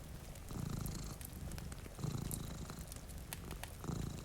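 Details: Two cats dozing by a rainy window give a clear, rumbling purr that rises in strong pulses about every one and a half seconds, over light fire crackle and soft rain.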